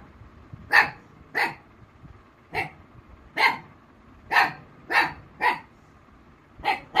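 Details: Female Black Mouth Cur named Rossy barking as a person mimics a baby dog. Nine crisp single barks are spaced unevenly, roughly half a second to a second apart, over a quiet background.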